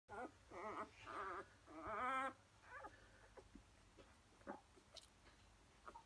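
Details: Several four-day-old Labrador Retriever puppies: a run of high, wavering whimpers and squeals in the first two and a half seconds, then softer scattered squeaks and faint rustling.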